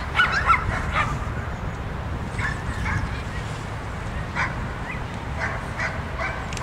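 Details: Groenendael dog at the "Autumn Waltz" dog frisbee throwing-accuracy competition held by the DiskHunters club; a cluster of sharp yelping barks at the start, then scattered short barks over a steady low rumble of outdoor noise.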